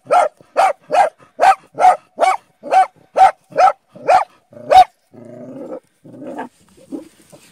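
A Bull Terrier barks in a rapid, steady series, then switches to low growling grumbles.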